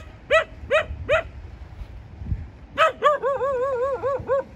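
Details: Three evenly spaced short barks from a dog, a pause, then another bark leading into a sustained wobbling, warbled yelp with a pitch that rises and falls in quick ripples.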